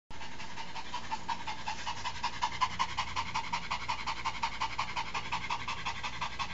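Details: Female Shih Tzu panting after a walk, a quick breathy rasp repeated almost three times per second, steady and rhythmic, with a faint low background hum.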